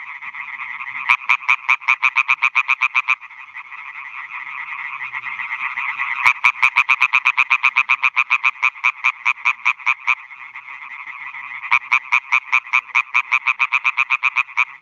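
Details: Male European tree frogs calling for females at night at newly built ponds on a meadow in Schleswig-Holstein, Germany, 2017, with bats hunting overhead; rapid bursts of harsh, regular knocking croaks, around two to four seconds each, overlapping in a dense chorus.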